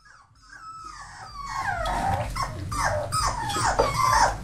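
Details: Four-week-old Labrador and hound mix rescue puppies, awaiting adoption in Maryland, whimpering indoors: faint at first, then several overlapping high, falling whines and yips build up over a low steady hum.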